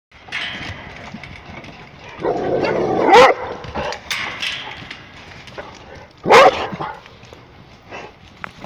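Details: Rhodesian Ridgebacks barking while running, two sharp loud barks about three seconds apart with a rising tone, between softer rustling and movement noise.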